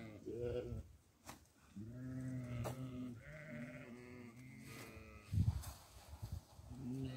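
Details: Goat at barley feeding time bleats repeatedly in long, wavering, nasal calls that run almost back to back, with a few sharp knocks and faint human voices in between.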